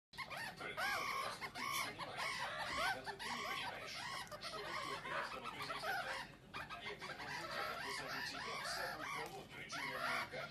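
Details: One-month-old meerkat pups playing together in Moscow, Russia, on 14 May 2018 chatter in a dense chorus of short, high, arching squeaks and chirps.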